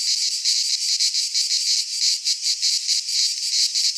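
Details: Cicadas in a pine forest in Greece during midsummer, a piercing dry buzzing chorus throbbing in quick rhythmic surges, continuous and dominating, with no birds or voices.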